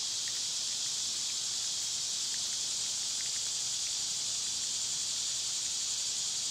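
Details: Loud summer cicadas make an unbroken, shrill, hiss-like drone of even strength from start to finish. Scattered faint short chirps sit beneath it.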